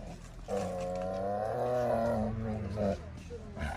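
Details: Tigress in heat, kept in an enclosure with a male tiger: a drawn-out, moaning harmonic call lasting almost two seconds, followed by a shorter similar note, with a person speaking nearby.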